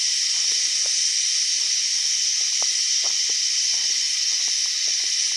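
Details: Cicada buzzing outdoors, described as a weird cicada sound: a steady, unbroken high hissing drone fills the whole stretch without pause, while faint scattered low clicks and knocks sit well beneath it.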